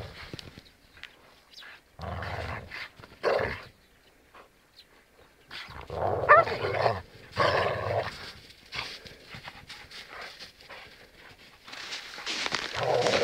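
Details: Akita dogs playing together in the snow give rough, broken growls and grumbling barks in short bursts.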